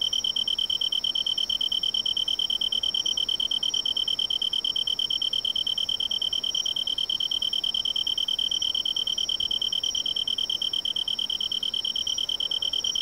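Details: A Japanese tree cricket, common in the lowlands of western Japan, sings a steady, unbroken, high-pitched trill, like a soft continuous ringing.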